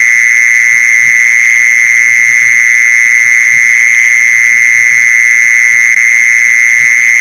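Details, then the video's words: Sustained mole cricket call for luring mole crickets: one steady, shrill buzzing tone running without interruption, bright upper overtones and a faint low hum beneath. "เสียงแมงจีซอน #ล่อแมงจีซอน"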